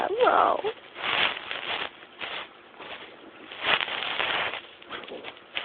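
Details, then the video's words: Hudson the bulldog snoring while asleep: rough, breathy noise bursts swell and fade irregularly, with a longer drawn-out snore near the middle and a brief squeaky tonal sound at the very start. "Hudson the Bulldog Sleeping and Snoring"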